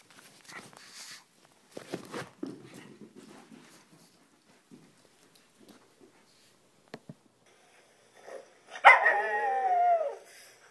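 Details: Pug indoors playing tug of war with a stuffed toy: mostly quiet scuffling and soft snorts, then one loud, harmonic, falling yelp-like cry lasting over a second near the end.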